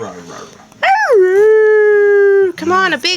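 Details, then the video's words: Siberian husky puppy: a howl swoops upward and then settles into a long, flat, tonal note. Human speech comes before and after it. "Husky siberian howling"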